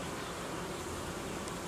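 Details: Honey bees of a hive colony that produced royal jelly and raised queen cells, now being reorganised as temperatures drop; a dense, steady low buzz fills the short stretch without pause.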